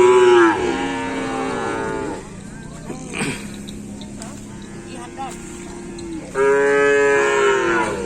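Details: Cattle during full training for a kerapan sapi bull race event at the Asemanis field, Pamekasan: a loud drawn-out moo falling in pitch opens the clip and another returns near the end, with a quieter steady tone and a sharp crack between them.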